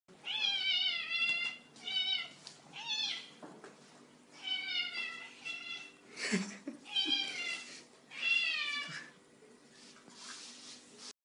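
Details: Female domestic cat meowing indoors shortly after eating: a long string of loud, drawn-out, harmonic-rich meows and yowls, some rising and falling, in bursts separated by short pauses, with a faint low hum behind.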